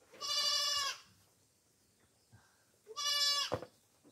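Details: Farm goats being fed coconut pulp give two loud, drawn-out nasal bleats, each lasting under a second and rich in buzzy harmonics, separated by a quiet gap with a soft thud near the end.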